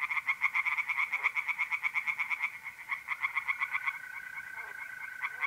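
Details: Night chorus in an Italian pond, mid-April: tree frogs give quick pulsed croaks in dense runs that fade after four seconds, leaving the smooth steady trill of mole crickets.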